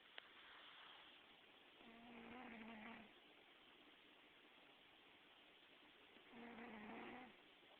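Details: Pet cat named Gambit asleep and dreaming, recorded July 2009, giving two drawn-out, gently buzzing snores roughly four seconds apart against a faint background hiss.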